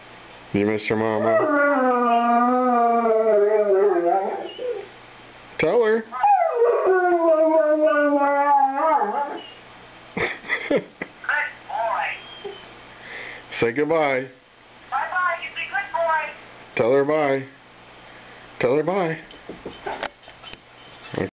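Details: Airedale terrier Stanley, known for singing, howls at his owner over the phone: two long wavering howls followed by a series of short yips and whines mixed with human speech.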